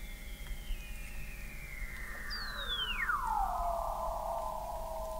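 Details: Weddell seals recorded in November 2017 by the McMurdo Oceanographic Observatory, 21 m below the sea ice in McMurdo Sound, Antarctica: long descending whistles sliding smoothly from high to low, one steep drop crossing another, ending in a sustained low tone.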